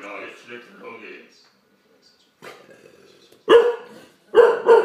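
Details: Olde English Bulldogge, a male called Daddy, scared by a Megatron toy: soft voices at first, then after a pause a loud, broad bark, followed by two more sharp barks close together near the end.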